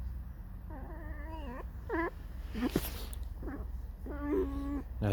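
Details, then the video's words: A pet fox, described as discontented, squeaking and whining in a mournful song. Several drawn-out, wavering, nasal whines rise and fall, with short pauses between them and a sharp click partway through. "лиса. Скрипит, поет заунывную песню."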